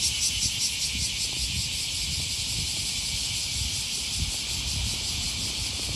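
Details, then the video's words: Cicadas calling on an August morning beside the Okawa River near Sakuranomiya Park in Osaka, Japan: a dense, steady high-pitched hissing drone with a faint pulsing texture, over low rumbling traffic and city hum. "Walking along the river, with the voice of a cicada"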